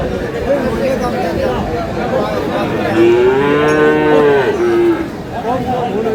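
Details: Friesian or crossbred bull calf at Aftabganj cattle market, Dinajpur, Bangladesh: a single drawn-out moo of about two seconds rising and falling midway, set against steady crowd chatter and bargaining voices.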